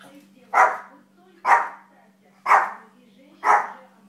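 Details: Little dog playing and training, giving four sharp, evenly spaced barks about one per second against a quiet background with a steady low hum.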